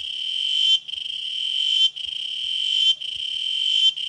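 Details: Cicadas (chicharras) at Chimalapas Mountain give a continuous shrill, hissing drone that rises in loudness and breaks off roughly once per second, then starts again in an even, pulsing rhythm.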